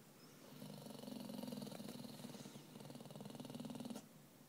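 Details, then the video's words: Spaniel mix dog growling grouchily when urged to go on his walk; a low, rattling growl of about three and a half seconds with a steady pulsing buzz, owner coaxing softly around it. "grouchy dog"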